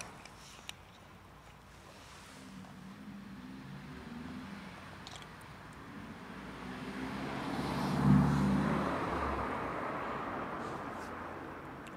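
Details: Outdoor street ambience of steady low vehicle rumble that swells around the eighth second as a car passes, with faint distant clatter and no animal voice.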